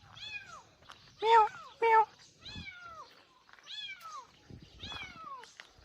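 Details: A kitten, apparently in a rice field and heard from home, later found there, meows repeatedly. Its high meows slide downward, about eight in six seconds, with two much louder, shorter calls and faint background noises.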